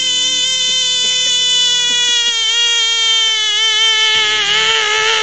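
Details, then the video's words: A frog, said to be freaking out, holds one unbroken, loud, high and steady harmonic scream for over five seconds. The scream turns rougher near the end, and faint low tones pulse beneath it. "Frogs love Throwing Tantrums !"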